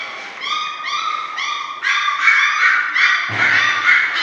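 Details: Six-week-old German Shorthaired Pointer puppies from one litter whine in short, high, slightly rising notes repeated about three times a second, growing louder and more crowded, with a low thump near the end.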